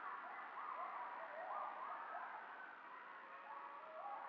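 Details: Coyotes howl and yip in wavering, sliding tones that rise and fall over a steady hiss: a pack down in the valley, with a lone coyote reacting to them.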